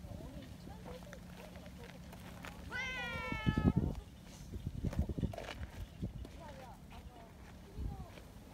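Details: Community tabby cats seeking affection and petting, one giving a clear rising-falling meow of about a second with strong harmonics, followed by people talking and handling noises outdoors.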